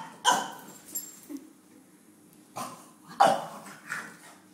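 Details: Longhaired vizsla Pipacs barking at the vet's: a loud bark at the start, a short low note, then a pair of sharp barks in the middle and a fainter one after, in a quiet indoor room.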